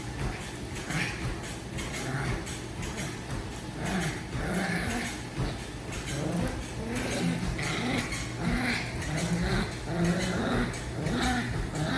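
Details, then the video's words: Pet dog Daisy makes sound effects while tugging a toy: uneven, throaty growls rising and falling in short surges, some whiny edges, steady low electrical hum behind. "Daisy thinks tug must come with sound effects"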